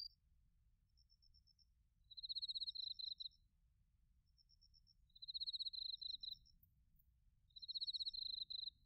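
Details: Crickets of autumn, bell crickets among them, recorded in Narita, Chiba, Japan, with a TASCAM Portacapture X8; three bright, rapidly pulsed high trills spaced about three seconds apart, fainter ticking notes between, quiet low background hum.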